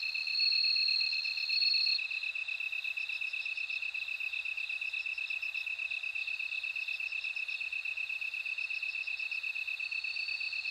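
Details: Bell cricket chorus: a steady, finely pulsed high tone runs throughout, with a brighter ringing trill above it for the first two seconds that returns briefly near the end.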